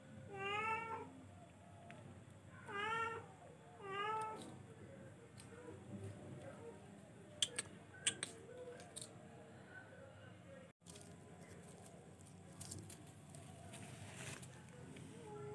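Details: F1 charcoal cat repeating three short, rising-falling meows about every one and a half seconds, then falling silent while clicks, taps and faint room noise continue.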